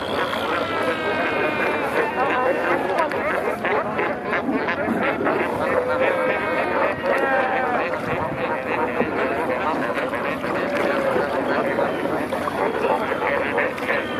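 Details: Crowded fur seal colony at Pelican Point near Walvis Bay, Namibia, with many newborn pups, heard from kayaks in the water: layered moaning bleats, some drawn-out and wavering, over a steady roaring babble.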